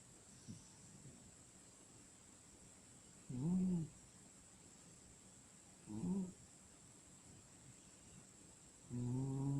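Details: A sleeping cat snores softly, with short nasal, slightly whistling snores about every three seconds over a faint steady hiss in a quiet setting.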